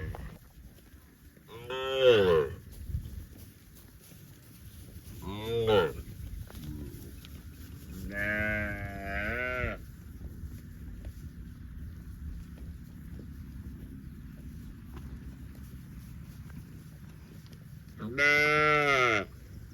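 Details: Cattle in the fields utter four separate loud moos spaced several seconds apart, each a bright, harmonic bellow that rises and falls, with quiet outdoor hum between them.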